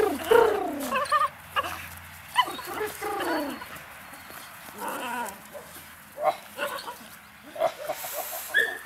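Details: Eight-week-old puppies from a litter of two males and two females, playing. Short, high, squeaky yelps and whines come in scattered bursts, some sliding downward, with quieter gaps between them.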